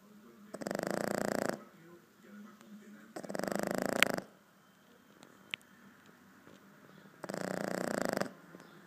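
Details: Boston terrier, four months old, asleep and snoring: three loud rasping, buzzy inhalations of about a second each, separated by quieter pauses, with a faint click midway.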